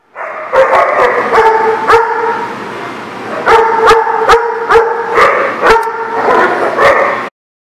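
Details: Dogs recorded on 27 July 2019, giving high, ringing barks and yelps with strong overtones, several overlapping voices in two long bursts with a brief lull near the middle, plus sharp clicking taps throughout.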